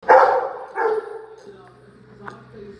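A Rottweiler gives two loud, yelping barks, excited about going out.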